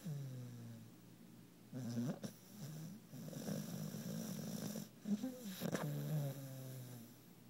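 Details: Puppy named Alli asleep and twisted up behind another dog after a fun day, twitching while she sleeps; low rumbling snores in slow breaths, with a loud snort burst near two seconds and again near five to six seconds.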